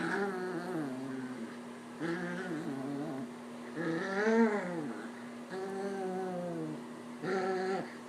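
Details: Pet puppy indoors making playful growling noises while slapping at its owner: a series of drawn-out, wavering, moaning growls with rising and falling pitch, several bouts over eight seconds, with a steady hum in the background.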